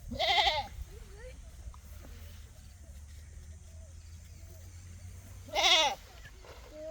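A goat gives two loud, wavering bleats several seconds apart.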